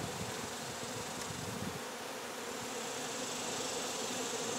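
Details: Short burst of honey bees buzzing during removal of their hive, a thick, rough hum of many wings over a broad hiss, without pause.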